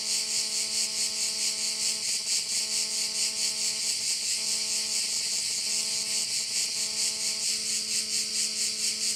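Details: At a bay in Korčula, a dense high-pitched cricket chorus throbs rhythmically, a little over two pulses per second, while a low humming engine-like drone runs beneath throughout.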